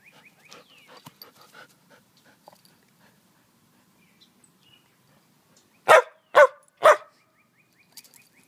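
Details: Samoyed playing fetch outdoors on a spring evening: three loud, sharp barks in quick succession about half a second apart near the end, preceded by quieter scattered clicks and rustles.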